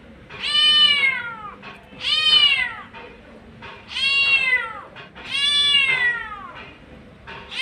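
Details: A domestic mother cat living on the street calls for her kittens with four drawn-out descending meows, evenly spaced roughly every one and a half seconds, with faint background noise.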